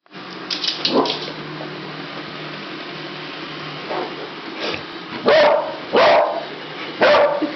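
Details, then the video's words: Pet dog barking and wanting to play at a robot vacuum cleaner indoors; short sharp barks cluster near the end, three loud ones within two seconds, after a quieter bark early on over a steady humming background. "Our dog Jimmy vs. robot vacuum cleaner"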